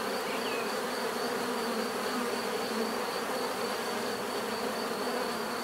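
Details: A continuous low buzz of many bees, level and unbroken, topped by a thin steady whine and one faint chirp early on.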